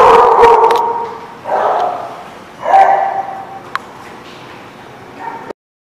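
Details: A dog gives three loud, harsh barks in the first three seconds, then fainter sounds follow before the sound cuts off.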